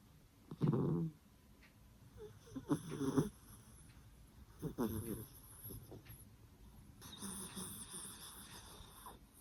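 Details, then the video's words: Soft, throaty snores from the dozing puppy Byeoli, who sleeps smiling: a few separate low, buzzy breaths a couple of seconds apart over a faint hissing background. "웃으면서 자는 예쁜 얼굴에 그렇지 못한 반전 코골이 사운드"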